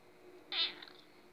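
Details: A female pet cat impatiently asking for breakfast gives one short, sharp, high meow with a brief trailing tail, in a quiet setting.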